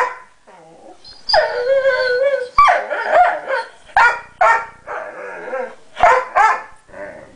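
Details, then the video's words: Pet dog, said to be sixteen pounds, cries over a guarded chew another dog holds; long wavering whine, then a run of short rising yelping whimpers roughly twice a second, with a person coaxing. "crying over his 'guarded' chewy"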